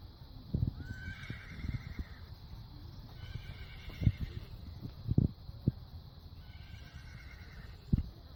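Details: A horse grazing on grass gives several high, wavering neighs over a steady background hiss and low thumps.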